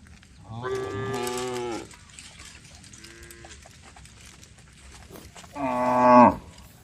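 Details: Cows calling the herd as a group of female cows walks along a road: a long moo, then a faint distant one, then a final rising, strained bellow, over quiet background noise.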